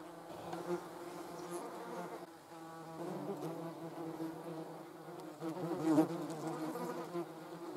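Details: Hornet attacking wasps in the Eifel, Germany; a steady low droning buzz with layered harmonic tones that waver in pitch, brief louder swells near the end.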